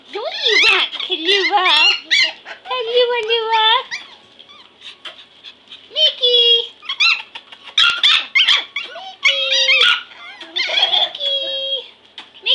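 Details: Pomeranian puppies, five of them, at play on a floor indoors. Shrill squeaky yelps and drawn-out whimpers overlap in quick clusters, some notes sliding downward, with short gaps between the noisy flurries.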